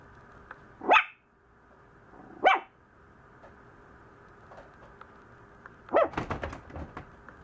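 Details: Maltese puppy, grumbling a lot, barks twice in high sharp yaps about a second and a half apart, then a third bark comes mixed with a burst of clattering, rustling noise.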